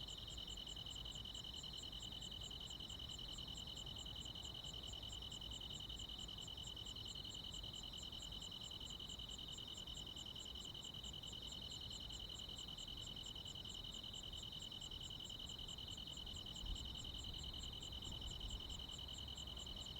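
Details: Countryside summer night chorus of crickets and other insects: a steady, regular high-pitched pulsing about three times a second above an unbroken shrill drone, with faint low background noise throughout.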